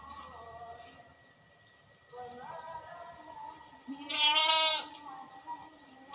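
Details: Goats at a farm during routine caretaking; a chorus of quavering bleats, one loud and strained in the middle, over a constant background hum.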